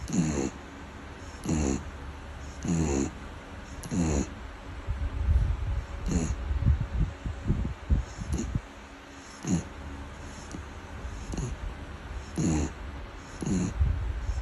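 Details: A Beagle (Canis familiaris) snores with low, rumbling breaths repeating roughly every one to two seconds.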